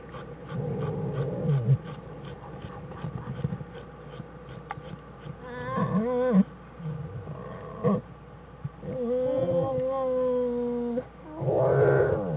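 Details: American black bear Jewel with her cubs Fern and Herbie in their den, January 1, 2013, studied by the Wildlife Research Institute; shuffling and low rumbling, then a short wavering tonal cry near six seconds and a longer drawn-out harmonic wail around nine to eleven seconds.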